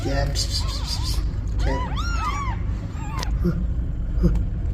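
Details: Meows linked to a mother cat asking for help and her newborn kittens: a short run of high, arched, harmonic-rich mews in the middle, over constant heavy low rumble like traffic or wind.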